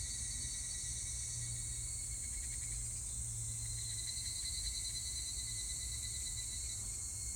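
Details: On 25 July 2019 an evening cicada gives a short burst of quick, rhythmic pulses in the middle of the recording, beneath a continuous high insect buzz and faint low hum.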